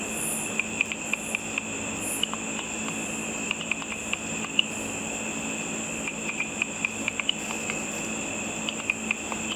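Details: Insect-hunting bats over a pool at night, their high calls lowered by a simple frequency divider bat detector. Many crisp clicks arrive in uneven volleys, some rapid trains, spread across the whole stretch above persistent hiss and a faint hum.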